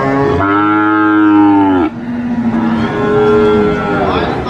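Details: A single sacrificial cow at a market gives one strong, steady moo lasting about one and a half seconds. It ends abruptly and is followed by a softer, lower moo.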